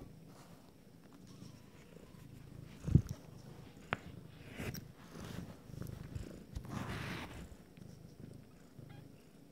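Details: Purring from nine-day-old Abyssinian kittens of a first litter whose eyes are opening, a continuous low rumbling throb pulsing in slow waves, broken by a sharp knock near the start and light shuffling.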